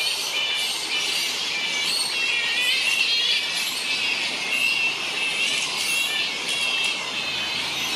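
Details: Large wild colony of grey-headed flying foxes, a fruit bat roost on the NSW Mid North Coast, Australia: a continuous dense din of high, squealing, overlapping screeches and chatter with no pauses.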